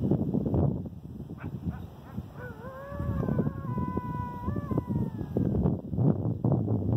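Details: Coyote howling, recorded 8/11/2018: a drawn-out tonal wail with stacked harmonics, starting low, stepping upward and holding near the middle before dropping away, over steady low rumbling background noise.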